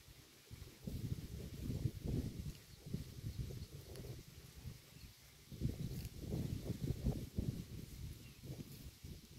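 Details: Cow eating grass by the road, recorded up close: deep, rhythmic munching in bursts of crunching bites separated by short softer gaps.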